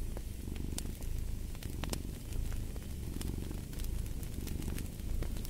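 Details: Close, loud purring from a cat, a rumbling drone with rhythmic swells of breath, accompanied by occasional bright crackles from a fireplace.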